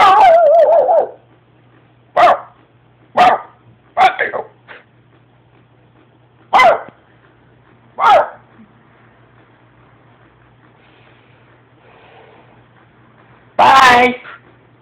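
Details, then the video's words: Spider the dog gives single sharp barks spaced irregularly over fifteen seconds, a yelping bark at the start and a louder burst near the end, over a faint steady hum. "Spiiiiders thoughts on....barking"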